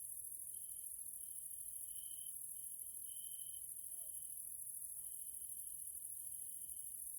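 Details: Evening stridulation of grasshoppers in a Hungarian nature area: a continuous shrill high wash of sound beneath a lower steady tone that brightens in two louder stretches and otherwise runs on with small gaps.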